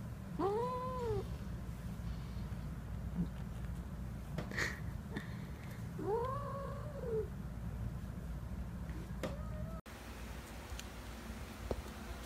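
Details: Cat mom feeding kittens milk meows in short arched cries, two plaintive rising-falling calls several seconds apart and a brief final one, against steady low hum and faint clicks.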